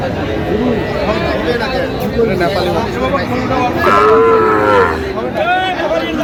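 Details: Sahiwal bull calves at a busy cattle market in Munshiganj, Bangladesh, on 9/8/25: a drawn-out harmonic moo swells near the four-second mark over constant crowd chatter and bargaining voices, with a shorter lowing call just after.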